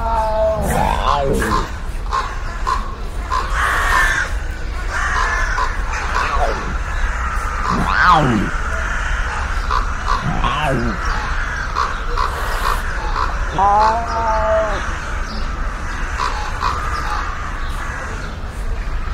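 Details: Sand cat calling outdoors in the wild, with scattered short, wavering cries and a few sharper swooping notes spread through the recording, all set against constant low wind noise.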